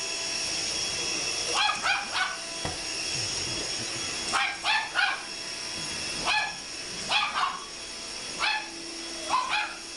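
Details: Indoor chihuahua goes wild at a vacuum cleaner, letting out clusters of shrill, rapid yaps every second or two, some rising into whiny tones, against the constant droning hiss of the running machine.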